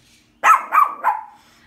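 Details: A Shih Tzu barks at dog pictures on a calendar, giving three quick, high, yappy barks, each slightly lower than the last.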